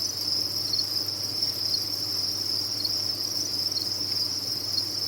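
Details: A cricket farm's insects sing as one: a high, steady chirring drone with small flickering pulses within it, a quiet low hum beneath.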